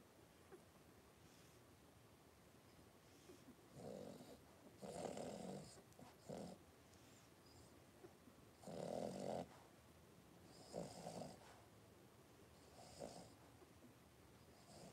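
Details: Three-week-old blenheim Cavalier King Charles Spaniel puppies, five littermates, wrestling together in a home puppy pen. Breathy snorting grunts and soft growls come in short bursts every couple of seconds against a faint background hiss.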